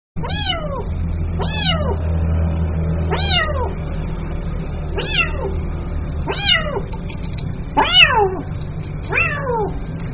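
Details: Kitten calling its mother: seven high, sharply falling meows spaced about every one and a half seconds, each bright and harmonic-rich, over a steady low background hum.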